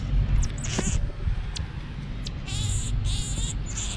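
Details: Pet marmoset monkey playing on a bed with its family, giving high, thin wavering trills in two bursts a little past the midpoint, over a low steady rumble of room noise.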